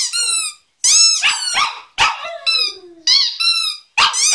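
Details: A Lhasa Apso gives high, wavering howls in short bursts while playing with his squeaky toy, mixed with the toy's sharp squeaks.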